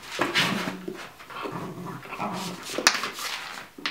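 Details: Ibizan Hound puppy, 12 weeks old, playing with an activation ball indoors; low, harmonic growly whines come in several short bursts, with scattered knocks, clatter and rustling from the play.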